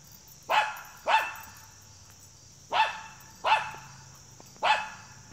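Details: A Schipperke gives five sharp, high-pitched barks at uneven intervals, eager to chase a squirrel.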